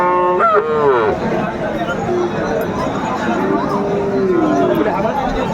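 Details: Bull calf, Friesian or crossbred, calling at Aftabganj cattle market, Dinajpur, Bangladesh, during price bargaining, 10 September 2024. An abrupt, rising then falling bellow opens, followed later by a lower, longer moo amid loud human talk.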